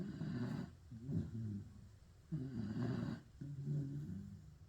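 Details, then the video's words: Pit bull snoring in low, rough rattling bursts, each breath cycle split into an inhale and exhale rumble, about two full cycles across the moment. "Pit bull roncando"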